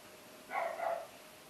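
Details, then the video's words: A single dog bark, one short harsh burst about half a second long, midrange and slightly hoarse, heard against quiet background hiss. "Dogs Barking"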